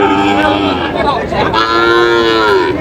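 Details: A Sahiwal bull calf on sale at a Narsingdi cattle market, July 8, 2025: one strong, sustained moo, sliding down then holding steady, with a second bellow overlapping, and little talk beneath it.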